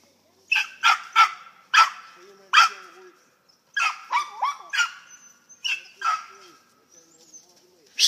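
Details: Squirrel dogs from a kennel in western Kentucky, urged on by a handler, give a run of sharp, loud barks, about a dozen in two bursts with short gaps between them.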